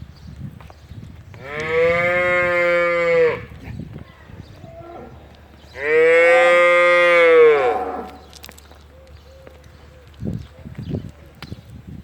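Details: Simmental calves offered for sale in Türkiye, two long loud moos of about two seconds each, separated by a short pause, rich and harmonic with a steady pitch, with low rumbling background and faint knocks afterward.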